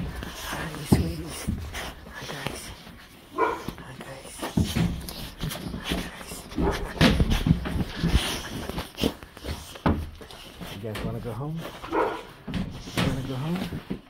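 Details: Dogs at daycare pickup, happy to see their owner, in a small indoor room: a long excited string of whines, yips and short barks mixed with scuffling, movement and a human voice.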